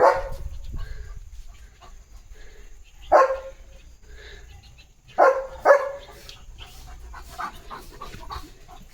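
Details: Leo the German Shepherd giving scattered barks after running and jumping outdoors, with light rain beginning; single sharp barks around three and five seconds, then softer rustling and clicks.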